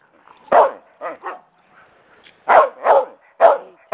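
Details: A mother Karelian Bear Dog barks at her playing pack, seemingly because they are getting rowdy: loud, sharp barks, some in quick pairs, about seven in four seconds with short silences between.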